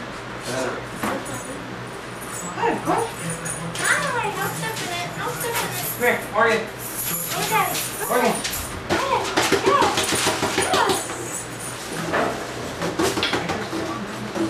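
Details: Captain Morgan, a puppy left alone for the first time, howls and whimpers in a series of wavering tonal cries, some rising and falling, over a steady low hum with scattered clicks and rustles.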